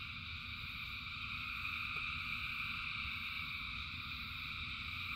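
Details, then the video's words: A vast frog chorus in the rain hums as continuous high-pitched trilling, several layered tones holding steady throughout, over a low murmuring background with faint patter. "Frogs in Rain 2 Hours of Frogs, Thousands of Frogs Singing"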